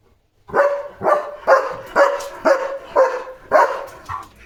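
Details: German Shepherd barking and jumping on evening guard duty at a farm to protect his area; a rapid, regular chain of eight rough barks, about two per second.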